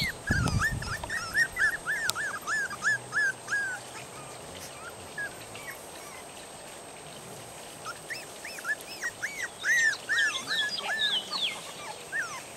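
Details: Three-and-a-half-week-old puppies, woken and moved out to a yard away from home, whine for their mother to feed them: rapid runs of high arching squeaky whimpers in bursts at the start and again near the end, several pups overlapping outdoors.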